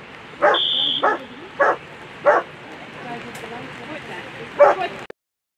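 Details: Barks from Ine v Krausenberg, a German Shepherd in the World Championship agility final, finishing sixth: four evenly spaced loud barks, a pause with background murmur and a brief tone, then one more bark before the sound cuts off.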